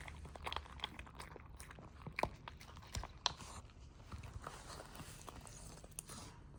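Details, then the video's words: A puppy crunching its food in a small room, giving sharp, uneven bites and chomps roughly once a second, with softer chewing in between. "Sound of puppy eating"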